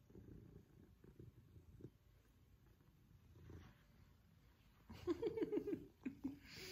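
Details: Affectionate male Maine Coon cat purring while cuddled indoors and settling in comfortably; low rumbling purr for most of the stretch, then a burst of close rustling and a quick series of brief higher notes near the end.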